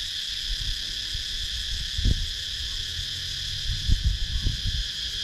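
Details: Cicadas calling in woodland of rural Sakon Nakhon, Thailand, captured with a GoPro Hero 9: a constant shrill, layered buzz, broken by low thuds near two and four seconds.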